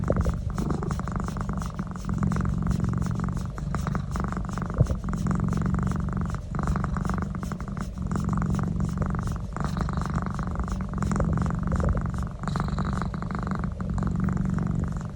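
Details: Pet cat Naz enjoying a neck massage, giving a long unbroken deep purr that holds level for fifteen seconds, with slight dips in loudness and soft handling rustles in the background.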